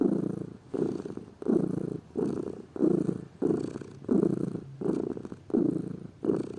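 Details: Purring from a lazy domestic pet cat: a deep, buzzy drone broken into about nine rhythmic breath cycles, each swelling and easing off.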